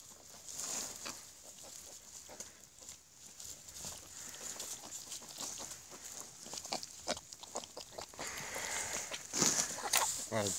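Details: Wild boar sow giving birth in a nest while being helped on a wild boar farm in South Africa. Soft, irregular grunts and clicks with rustling, then a brief louder squealing burst near the end.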